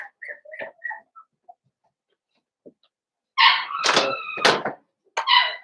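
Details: Blenheim Cavalier King Charles Spaniel puppies, a litter of five born at New Year, kept in a home puppy pen: soft, brief high squeaks, a pause, then loud harmonic yelping cries in two bursts.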